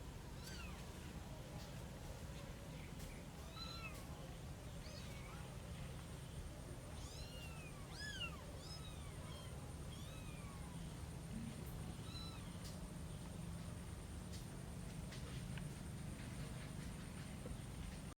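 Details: Cat from a family of a mother cat with her three kittens. About a dozen short, high, arched meows, some in quick pairs, spread over eighteen seconds beneath a constant low rumbling background noise.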